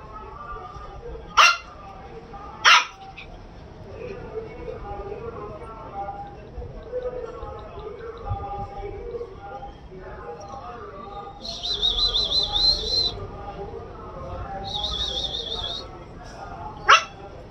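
A Shih Tzu puppy gives a few sharp, high yapping barks over quiet human voices.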